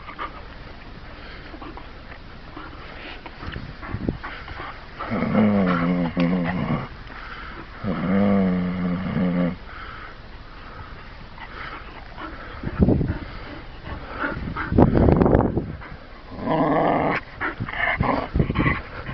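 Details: Bull Terrier named Murphy giving two sustained, low, rumbling growls with rich layered overtones, each lasting about one to two seconds. Scattered thumps, scuffling noises and brief noisy bursts fill the gaps between them.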